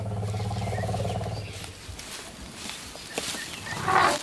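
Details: Lion roar from a coalition of Timbavati brothers, fathers of hidden cubs, acting as protectors near the cubs; a deep, low rumbling roar in the first second and a half fades out, followed by quieter rustling and a brief higher sound near the end.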